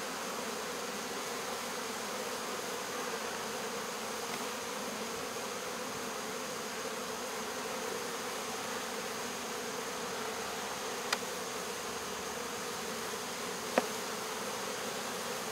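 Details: Honey bee swarm during removal from local baseball fields, August 2014; continuous even droning buzz of many bees, with a couple of sharp clicks late on.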